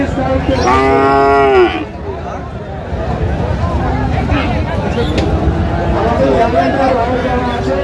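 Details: Friesian or cross-bred cattle at Raniganj cattle market in Dinajpur, Bangladesh, on 14 August 2025, during buying and selling of bulls and calves; one loud, drawn-out harmonic moo for under two seconds, with crowd chatter and traders' voices throughout.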